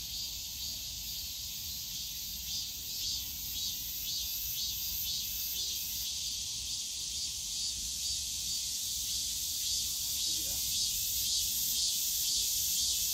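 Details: Summer cicadas in the bamboo grove of Yongsan Family Park: a high, continuous buzz that takes on a clear pulsing throb about twice a second, growing slightly louder toward the end over low park ambience.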